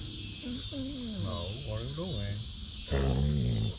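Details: Basset Hound greeting while playing with his sisters on a deck: a run of wavering, sliding moans that bend up and down, followed by a louder, steadier groaning howl.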